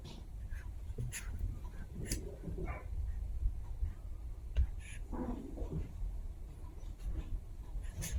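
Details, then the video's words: Two Chihuahua puppies at play give short, soft whining whimpers and low growly bursts, set against steady scratching, rustling and scuffling from their frolicking. "Funny Sounds of Chihuahua Puppies Playtime"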